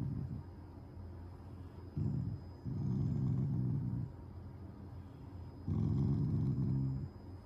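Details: Shiba Inu Taiga growling while lying down, a sign of affection toward its owners rather than anger; three low rumbling growl bursts of one to two seconds each, with soft low hum between.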